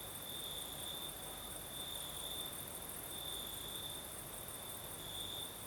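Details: Crickets chirping at night in Crimea's south with a night breeze: a bright, steady high trill broken into uneven pulses roughly every second, backed by a very high insect hum and a low whooshing breeze.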